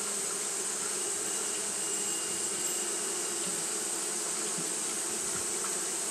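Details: Constant fanning hum from Japanese honey bees on a hot day: an even, low buzzing drone with faint flickers, layered over a steady high hiss throughout.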